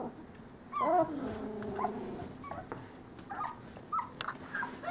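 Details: Summer 2013 litter of Great Pyrenees boys from Bella and Ranger; one drawn-out wavering whine near the start, then soft scattered squeaks and little yelps against a constant faint hum.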